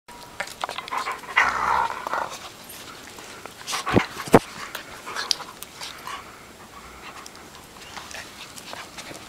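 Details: German Shepherd dog, filmed together with a toy poodle, panting in quick, irregular, breathy bursts of roughly two or three a second. A louder whiny, tonal bit comes near the start, and sharp clicks or knocks sound around the fourth second.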